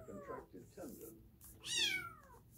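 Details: Kitten with a contracted leg tendon, at the vet: murmured speech-like sounds first, then one sharp, high meow that falls in pitch and fades, with a man narrating underneath.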